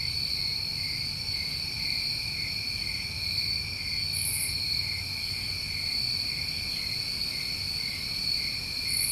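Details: A New England summer night chorus of crickets: steady, ringing high-pitched trills layered in two bands, broken by two short higher buzzy bursts, with soft low-frequency rumble beneath.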